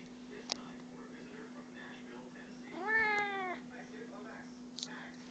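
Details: Seeking attention, a pet cat gives a single clear meow lasting under a second, slightly falling at the end, against a constant low hum with a few faint clicks before and after.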